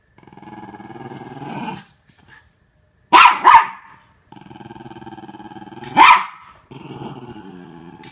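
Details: Norfolk Terriers play-fighting indoors to keep a younger dog under control: long steady buzzing growls lasting about two seconds each, broken by loud sharp barks, a double bark near three seconds and another near six.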